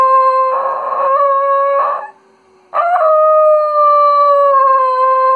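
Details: Tucker, a pet Schnoodle, howls in sympathy with a lost Arctic wolf pup shown on a PBS Nature segment about animal friendships: long, clear, steady tones with a short broken note, a brief pause, then one sustained wavering howl.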